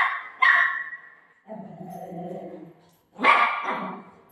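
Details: Golden retriever playing with its owner: two loud, sharp harmonic barks or yelps, one near the start and one near the end, with a lower, steady, drawn-out voiced sound between them.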